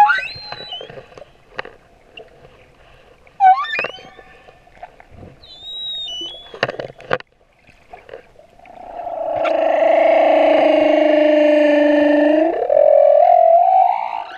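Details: Male humpback whale song near Moorea, opening with scattered high squeaks and brief upswept chirps, then a long loud droning moan with layered harmonics lasting about four seconds before gliding upward at the end.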